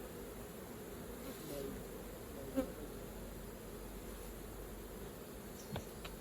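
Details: Swarm of honey bees humming at the hive while raw honey is gathered, an even, low droning buzz with a single sharp click midway and faint taps toward the end.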